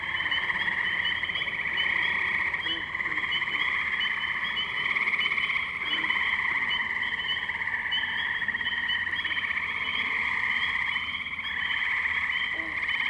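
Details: Tree frog chorus from the Firestone Park wetlands in Columbiana, Ohio, 6 May 2023, Zoom H2n; steady overlapping trills throughout thirteen seconds, with a few faint short lower calls underneath.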